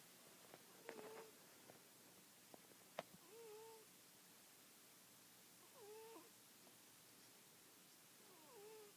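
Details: Miss Fluffy, a cat, snoring while awake: soft wheezy tones that bend up and down recur about every two and a half seconds over a steady background hiss, with a few sharp clicks near the start.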